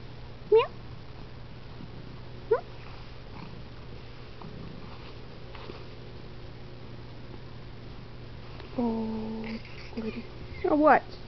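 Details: Female pet cat named Squirt, fussy while being brushed at home; two brief sharp rising chirp-meows early on, a woman asking questions later, then a final cluster of quick upswept meows at the end.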